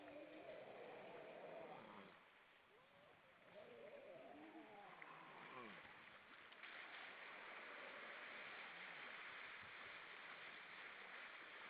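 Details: Grey seals on Vilsandi, Estonia, many above the water, on an evening in late September 2012. Overlapping wavering moans with rising and falling tones fill the first five seconds, followed by steady hissing of water and wind.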